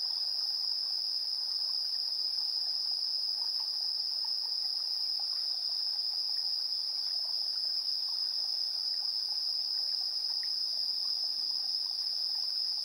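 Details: Insects chirping on an early September evening, recorded 3 September 2022 around 7:04 PM with a TASCAM Portacapture X8 built-in stereo pair; a steady, intense high trill runs unbroken throughout, with faint scattered lower chirps beneath.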